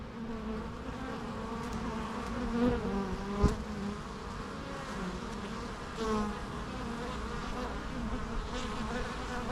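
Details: Steady drone of bees, a thick low hum holding level throughout, broken by a couple of sharp clicks or taps around the middle and slight rises in loudness near the end.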